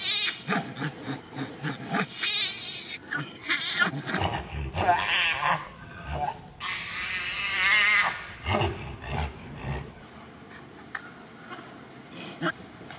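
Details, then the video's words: Rozy, a pregnant female monkey, calls loudly for help while a big male monkey stares at her; harsh, broadband screeching bursts repeat rapidly in noisy clusters, with rasping shrieks rising and falling. "Mother Rozy Calling Loud For Help As The Big Male Monkey Staring At Her"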